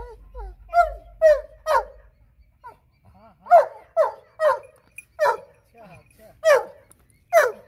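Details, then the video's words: Jealous Labrador reacting while its owner plays with a German shepherd puppy: a run of short, high, whining yelps and barks, roughly two a second in uneven bursts, with brief quiet gaps between them. "HE IS SO JEALOUS | He don't like his owner playing with other dog"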